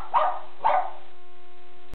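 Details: Cashe, a 17-month-old male Shih Tzu who dances and waves his paws when he wants a walk or car ride, gives two short barks about half a second apart, then a steady hum.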